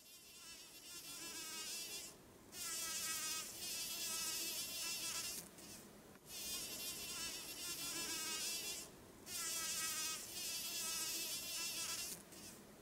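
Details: A large bumblebee collects pollen inside a white thimbleberry bloom on the trail to Tolmie Peak in summer, July 20, 2013. It hums with a steady, rich buzz that drops away briefly three times as it shifts position.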